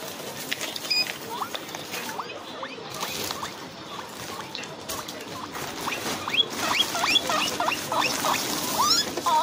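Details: Guinea pigs outdoors in a backyard: quieter, scattered rising squeaks early on, building to a quicker cluster of upward-sliding calls in the last few seconds, over steady background hiss.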